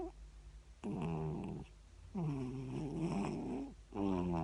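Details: Sleeping Siamese cat snoring: rough, nasal, harmonic breaths in long bursts of about a second, with short quiet gaps between them, in a quiet indoor setting.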